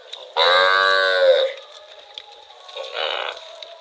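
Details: In rural rice fields, a wandering cow gives one strong, level moo of about a second, followed by a fainter, shorter call.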